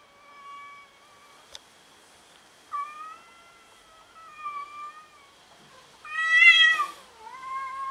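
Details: Home kitten meowing amid tension with yard cats: drawn-out harmonic meows, one flat and one falling, then a louder rising-falling wavering cry near the end, with a steady high background tone and a brief click.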